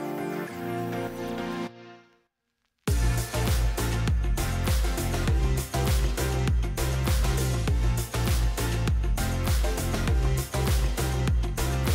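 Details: Rhythmic electronic music with a heavy bass beat plays throughout after a brief silent gap, and no animal sounds are heard.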